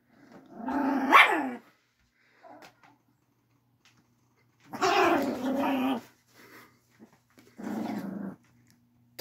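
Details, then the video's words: Angry chihuahua guarding its bed: three bursts of harsh growling snarl, the first loudest and rising to a yelp-like peak, the next two lower and steadier, separated by quiet gaps with faint rustles. "Angry Chihuahua Defending bed"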